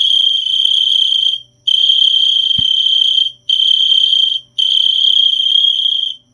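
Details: A cricket sings in sustained high-pitched trills lasting one to one and a half seconds, separated by short silences, four bursts in all, with a single soft click midway.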